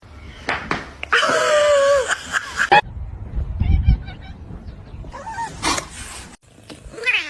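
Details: Kitten meowing, one of a funny cats compilation: a loud, drawn-out, wavering wail lasting about a second, with brief squeaks around it, indoors, amid people talking, laughing and shouting.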